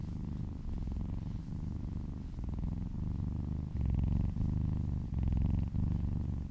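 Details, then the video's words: Loud, close purring of a female kitten being massaged, licking a person's arm; throbbing low rumble with clear inhale and exhale phases, brief gaps between breaths, louder in the later half. "Purring kittens ASMR"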